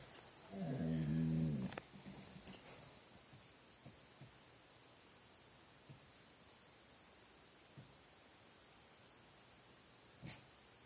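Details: Weird sound from a dog at nothing late at night: one loud, low, wavering growl-like moan of just over a second, then near silence broken by a few soft taps and clicks.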